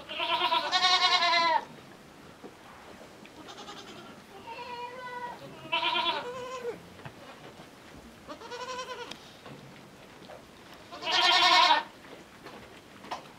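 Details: Young miniature goat kid heading to nurse from its mother, which adopted it after several days; repeated wavering bleats, some loud and nasal, others softer and higher, calling every one to three seconds, with faint background rustle.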